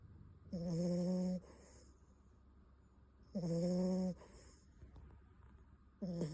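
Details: Bon the Beagle puppy snoring in his sleep indoors: three evenly spaced low, humming snores, roughly every three seconds, each edged with a soft high whistle.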